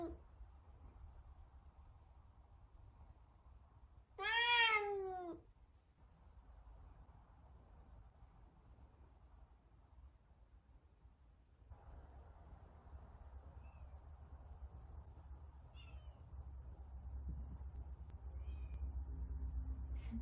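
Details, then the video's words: Indoors, a big Savannah cat around kittens gives one loud, bright meow that slides down in pitch, surrounded by long stretches of quiet room hum. "Big Savannah cats ATTITUDE to kittens"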